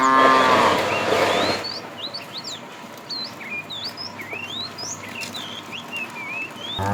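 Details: Tame cow being herded in the afternoon, a fat cow calling the female: a harmonic moo in the first one and a half seconds, then many high chirping, whistled bird notes over faint background.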